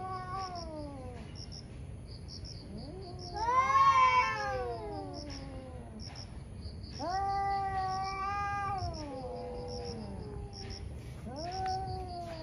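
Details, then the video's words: Two ferocious cats in a morning fight, growling and yowling in long drawn-out wails that swell, bend upward and sag, with a louder rising howl near four seconds; rapid high chirping pulses run steadily behind. "Cat Fights cat | Angry Cat caught on camera | gato briga com gato"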